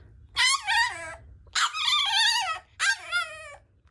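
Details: French bulldog puppy demanding to go out, giving three high, quavering whimpers that bend downward at their ends, the middle one longest, with steady low room hum.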